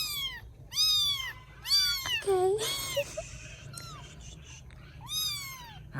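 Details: Rescued baby kittens in Vietnam, fed and settling to sleep indoors, give a run of high, arching meows, several overlapping in quick succession with short pauses; a man's voice is faintly present.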